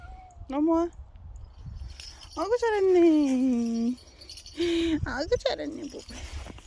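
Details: A dog-like pet cat lets out a short meow, then a long, drawn-out meow sliding downward for over a second, followed by a shorter cry, with human voices around it.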